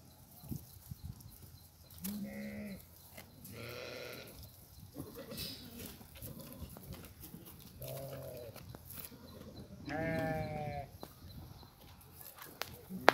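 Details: Plump domestic goats bleating: several wavering, nasal, harmonic bleats in separate bursts, some higher and some lower-pitched, spread across the recording over a low rustling background.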